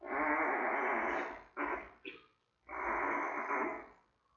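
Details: Giant panda cub, three weeks old, calling from the den at the Smithsonian's National Zoo while mother Mei checks around. Two long, loud, raspy squawks with short broken bursts between them.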